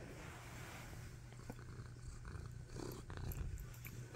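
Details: A tabby cat purring while being snuggled: a steady, low rumbling purr runs throughout with even pulsing, overlaid by intermittent keyboard typing clicks.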